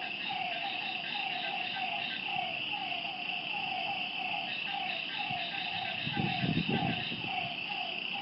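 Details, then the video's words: Lakeside frogs at night give rapid, evenly spaced short notes in a continuous series, layered over a bright shimmering insect chorus, with a brief low rumble toward the end. "Lakeside night creatures and frog sounds"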